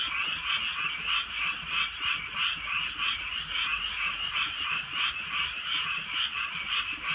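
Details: Frogs calling on a drizzly countryside night: a dense chorus of rapid, overlapping croaks pulsing about three times a second, steady and unbroken, with faint rain ticks in the background.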